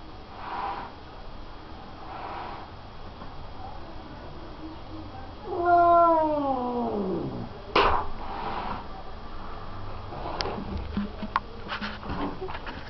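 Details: Tom-cat snarling at a vacuum cleaner that is not even switched on: one drawn-out, harmonic yowl sliding downward in pitch for about two seconds mid-recording, followed by sharp knocks and clicks, with faint soft murmurs earlier.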